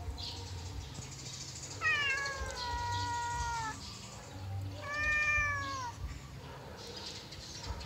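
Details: Yellow cat during play, giving two clear drawn-out meows, the first about two seconds long and slightly falling, the second shorter and rising then falling, over a low steady background hum.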